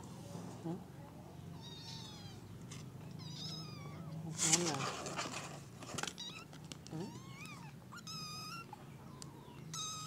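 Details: Several kittens meowing amid handling noise and a woman's voice indoors; short, thin wavering mews come in quick succession, some overlapping, with rustles and a loud scuffle in the middle.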